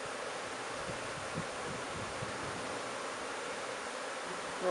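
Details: Bees of a new swarm placed into an empty hive make a continuous, even, broad buzzing throughout, with a short sound from a person at the very end.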